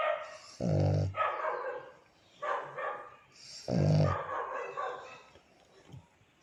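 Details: Coco, a black male pug, snoring while asleep beside his mom: two deep rumbling snores about three seconds apart, with softer breathy and whiny sounds in between.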